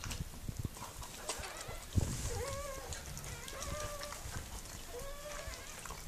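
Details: Miniature Pinscher Mirella in labour with her puppies, letting out three soft, slightly rising whines in the second half after a thump and some rustling.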